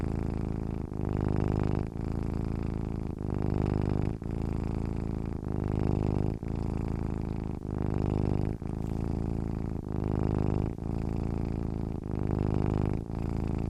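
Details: Low, throaty purr of a sleeping cat, rumbling on and off in near-regular cycles about one second long as it inhales and exhales, quiet background.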